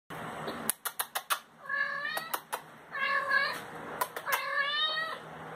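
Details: Pet cat meowing as if saying hello: after a few sharp clicks, three drawn-out, tonal meows, each with a rising then falling pitch, about a second apart, in a quiet indoor setting.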